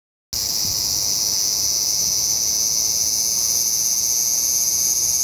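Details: Large brown cicada singing in autumn, its last calls of the season: a dense, steady sizzling hiss, high-pitched and unbroken, starting abruptly after a brief silence.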